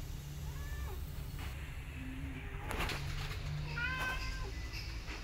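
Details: Mother cat caring for adopted rescue kittens, one called Sugar. Several short arched meows, some dropping in pitch, come in two clusters a few seconds apart, with soft rustling and a constant low rumble behind.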